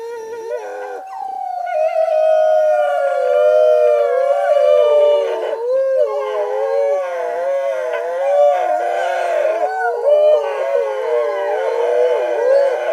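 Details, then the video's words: Several gray wolves, recorded by a camera trap, howl together in long wavering tones that slide up and down and overlap in a chorus. "Ululati - Wolf howling"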